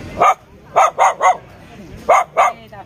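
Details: A white dog gives a quick run of sharp, high barks, two rapid pairs and a double.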